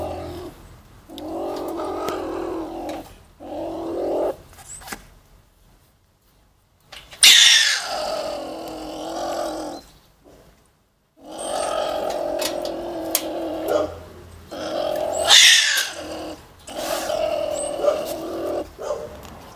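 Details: A stone marten (beech marten) caught in a trap gives harsh, throaty growling calls in drawn-out bursts, with a few sharp clatters between them.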